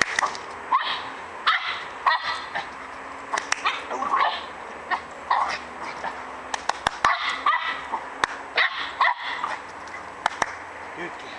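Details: Border Terrier named Pip having fun playing on a log with its owner; excited high yips and barks come in quick bursts about once a second, some rising into whines, with faint background rustle.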